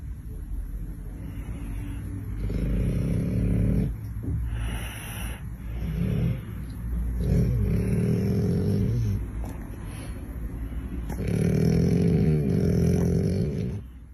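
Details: Dog asleep and snoring in a series of long rumbling breaths, each a deep, rough drone of about two seconds, separated by brief quieter pauses, with a faint constant hum behind.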